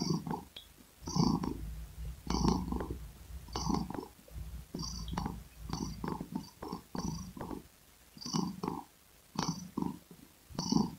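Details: Domestic cat purring close up, low rumbling bursts rising and falling with each breath about once a second, with faint clicks and a thin hiss over the top.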